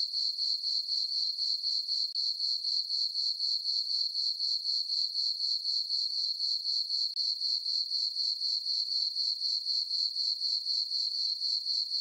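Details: Summer-night crickets in a moonlit farm meadow produce a continuous shrill chirping, regular pulses roughly four per second on one high pitch, with nothing else audible.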